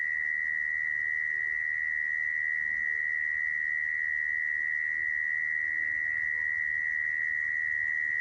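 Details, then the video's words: Unbroken mole cricket song for luring mole crickets into traps: a constant high buzzing tone running throughout, even in loudness, with only quiet background noise beneath. "Tiếng dế dũi dùng để bẫy"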